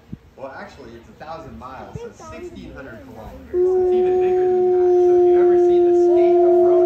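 Human voices talk briefly before a wolf breaks in with a loud, drawn-out howl. The howl holds an even, mournful pitch with almost no waver and carries on unbroken to the end.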